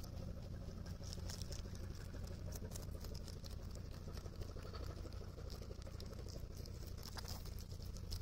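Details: Japan's Rabbit Island, Okunoshima, June 2021: a rabbit munching cabbage gives close, loud crackly crunches in rapid uneven succession, thick and continuous, over a low hum.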